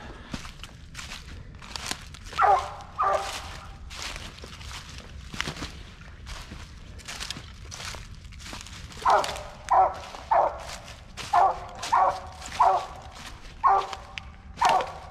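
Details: Squirrel-hunting Mountain Cur barking at a treed squirrel in woods of black walnut and hickory at dusk; two early barks, then a steady series of loud chopping barks roughly every second, with footsteps and twigs snapping between.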